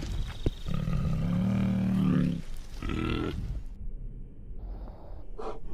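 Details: Bear. Low, throaty growls from a bear roll out in bursts, with a harsh grunt between them. The voice stays mostly very deep, rasping and rough, then fades to quieter breathing.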